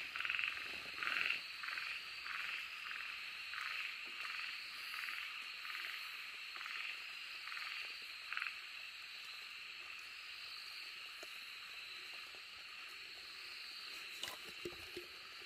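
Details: An Okinawa narrow-mouthed frog, recorded 2 July 2023, gives rapid, raspy buzzing notes in quick succession before trailing off, against a continuous high insect drone.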